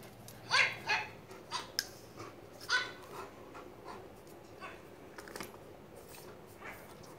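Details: A pet dog, angry and worried, reacting to a dog barking from a phone: several short, sharp barks in the first three seconds, then fainter, spaced yips over a quiet indoor background.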